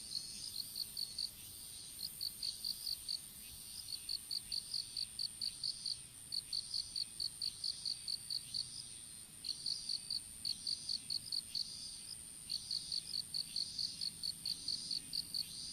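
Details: Insects calling in an open-field strawberry patch while seedlings are being planted, phone dropped on the ground; bright, high chirps in quick regular bursts of about ten pulses, pausing briefly between bursts, with a steady high hiss above.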